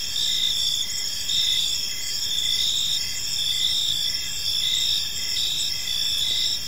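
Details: Crickets calling in a park as evening falls, a steady shrill chorus of overlapping high trills with faint repeated pulses and a low hum of ambient noise.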